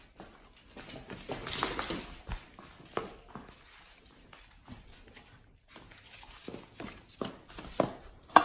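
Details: A raw whole Thai duck eaten by nomyen the Pit Bull. Scattered crunches and wet gnawing, an early loud burst of tearing, then quieter, uneven chewing with short pauses and a sharp crack at the end.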